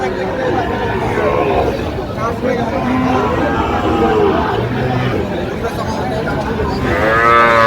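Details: Sahiwal bull calf at a cattle market in Bangladesh, bought for a Singapore expatriate; harmonic lowing moos, one near four seconds and a higher-pitched one at the end, over constant crowd chatter and men talking.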